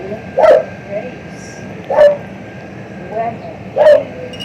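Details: Male house cat being noisy while he eats, giving short, clipped mid-pitched vocal bursts, three strong ones roughly every one and a half seconds with softer murmurs between, over a steady background hum.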